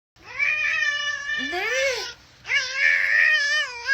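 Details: A cat lets out two long, drawn-out wailing yowls. The first swoops upward and then falls, and a short gap separates it from the second, steadier cry. The indoor background is otherwise quiet.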